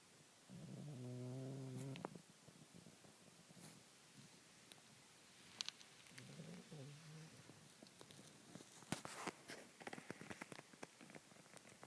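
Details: Sleeping bulldog tucked under shirts in a closet, snoring in low, droning breaths: one longer snore near the start and a shorter, weaker one several seconds later, amid scattered clicks and rustling.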